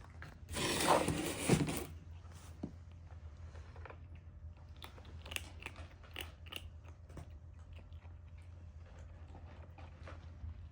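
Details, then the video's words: Kitten eating lunch alongside its adopted brother, soft irregular crunching and chewing clicks throughout, a loud rustling burst near the start, quiet indoor background hum. "Kitten enjoying lunch ( original sound )"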